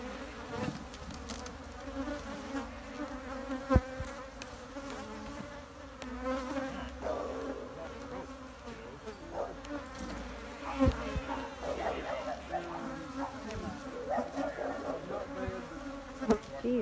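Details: Honey bee buzz drones on without pause, low and even with an overtone above, joined by scattered knocks and faint voice-like murmurs in the later part.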